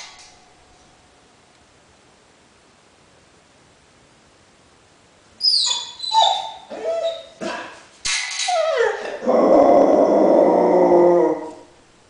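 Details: Dog said to be a lion cross, silent at first, then a run of sharp yelping barks about every half second, followed by a long harsh howling roar with strained overtones.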